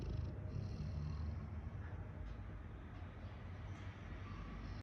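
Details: Rottweiler (Canis familiaris), snoring.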